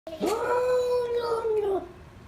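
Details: Cat giving a single long, steady, moaning howl lasting about one and a half seconds, held level in pitch before fading, described as a crazy weird noise.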